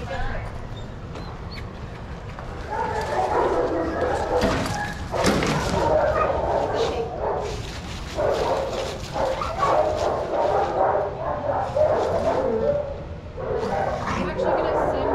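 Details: Many dogs barking at once during play in a shelter yard at Pima Animal Care Center, Arizona; a dense, rapid chorus of overlapping barks that swells after a quieter start, with human speech mixed in.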